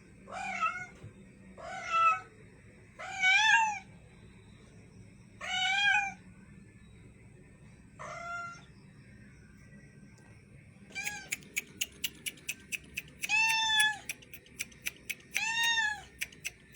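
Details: High-pitched cat meows, roughly eight calls with some rising and bending in pitch, the later ones accompanied by a rapid, regular ticking or clicking sound in the background.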